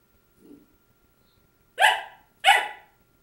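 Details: Labradoodle puppy named Krystal barking at her own reflection, recorded January 6, 2009: a faint low whine, then two sharp, bright barks about half a second apart.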